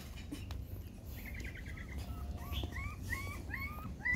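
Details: Dog family with mother GiGi nursing six puppies: a quick run of tiny repeated squeaks, then several short upward-sweeping yelps in a row, against low background hum.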